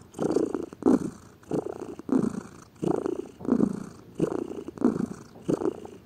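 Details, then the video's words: Domestic cat lying lazily and purring, a vibrating low rumble in quick breath-paced surges, around nine pulses in six seconds, close to the microphone. "Gato Ronronando, Som de Gato, Ronronar de gatos"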